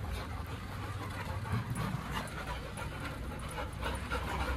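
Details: Dogs Lucy and Max, of an Indian breed, having fun together; quick, uneven panting at roughly four breaths per second over a steady low background hum.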